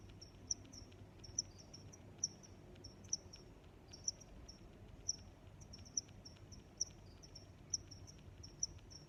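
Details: Cricket giving sharp, high chirps at an even rhythm, about one per second, with faint softer chirps between them and a low rumbling background.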